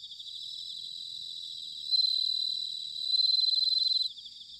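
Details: Autumn chorus of bell crickets at Sanuki, Chiba Prefecture, Japan: steady high pulsed trilling, then two louder ringing trills from about 2 to 4 seconds before the sound drops back.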